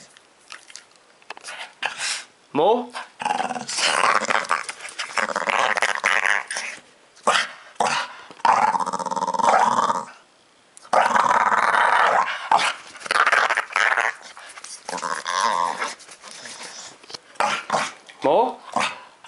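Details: Ozzy, a two-year-old pet dog filmed in July 2012, asking to be scratched more: rumbling, moaning growls with wavering pitch come in bursts between stretches of loud human talk indoors.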